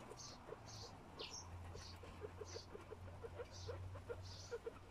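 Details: Baby guinea pigs, born 20 June 2022, eat grass and nurse from their mother. They give short, high squeaks over soft, rapid clicking and a low background hum.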